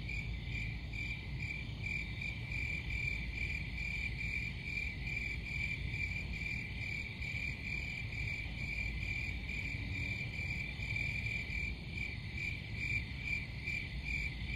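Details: A constant chorus of crickets, shrill rhythmic chirps overlapping without pause, carried over a broad low background hum.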